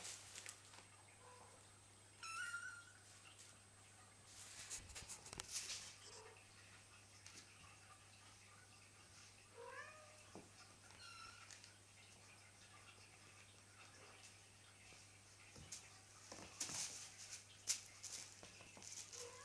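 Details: Nine kittens of Cheeta and Poema playing in a specially furnished playroom; short, high, thin meows rise and fall at scattered moments, among clattering and scratching play noises over a steady low electrical hum.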